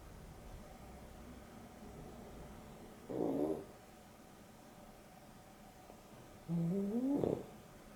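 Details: During an afternoon nap, Dexter, one of two pet dogs (Boston Terrier and Beagle cross, with Rio), snores: two separate breaths roughly three and a half seconds apart, each a nasal rasp rising in pitch, otherwise quiet.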